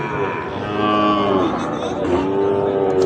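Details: Sahiwal bull calves for sale at Ambari haat livestock market, held twice weekly. A sustained, wavering bellow is followed by a second one later, with murmuring crowd noise underneath throughout.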